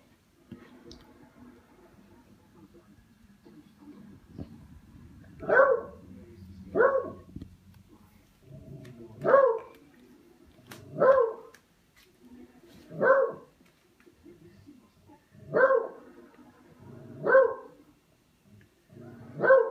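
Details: A dog named Buster, indoors, playing with a katydid bug, gives a series of short sharp barks spaced about two seconds apart, eight in all, with faint rustling between them.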